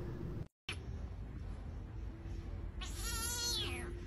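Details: Dramatic pet cat letting out a single drawn-out meow late on, rich in harmonics and sliding downward in pitch, over a steady low tone and constant background rumble.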